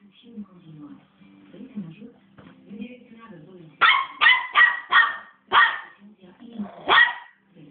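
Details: After a few seconds of low background murmur, a three-month-old West Highland White Terrier puppy, described as very angry, breaks into six sharp, high-pitched yaps spaced about half a second apart.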